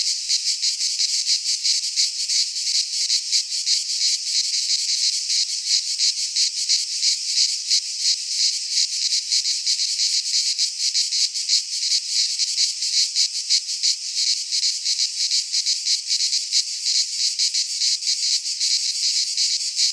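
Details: Chorus of cicadas in a Greek pine forest at midsummer, an unbroken shrill rasping hiss that throbs quickly and steadily for the whole stretch, nothing else audible.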